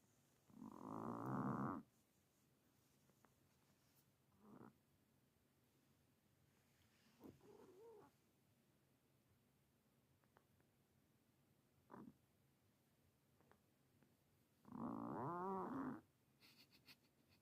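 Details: Just-adopted ten-year-old Himalayan cat, said to snore all the time: two long, loud, rough snoring breaths at the start and end, with a few shorter soft snorts in between over quiet room background.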